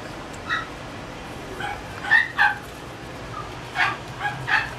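A Chihuahua puppy gives short, high yips and whimpers in irregular bursts.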